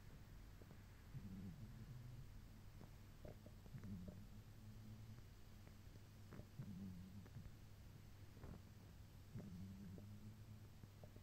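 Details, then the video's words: Torakichi, a sleeping pet cat, snoring softly indoors: low, rumbling breaths rising and fading about every two to three seconds, quiet under a steady background hum. "トラ吉 いびき"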